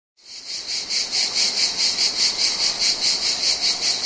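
A loud, dry cicada buzz, pulsing steadily about twice a second in a harsh high rasp.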